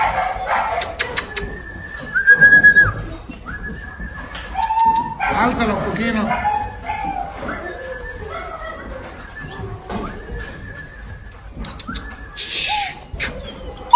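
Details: Black long-coat German Shepherd puppies whining in long, steady, high whistled tones, each held about a second and repeated many times, with short yips between, while a person talks and coos to the pups.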